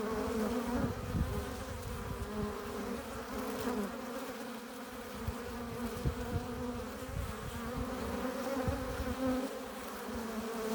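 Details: Many honey bees crowding a hive entrance, arriving with nectar and pollen, produce an unbroken droning buzz; steady hum bands hold throughout while occasional closer bees add short louder whirs and low rumbling flutters.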